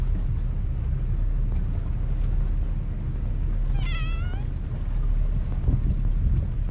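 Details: Stray cat that keeps meowing but will not come closer, on a Japanese cat island; a single short, bent meow sounds midway, standing clearly above a constant low rumble of wind noise that fills the whole recording.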